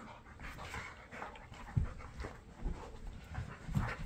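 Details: Two dogs, a Bernese mountain dog and its Aussie poodle husky mutt companion, play-wrestling on a Monday morning: short deep grumbling growls rise twice above steady panting and rustling movement.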